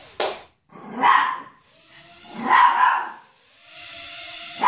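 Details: Chihuahua barking at a buzzing Hubson X4 quadcopter. Two hoarse, drawn-out barks are spaced about a second and a half apart over the drone's constant high hum. A brief sharp sound falls at each edge.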